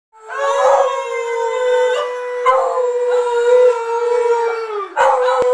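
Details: Excited Beagle howling in celebration as Pittsburgh heads to the Super Bowl: one long, steady, tonal howl with rich harmonics, holding level pitch for nearly five seconds, then a brief fresh rise at the end.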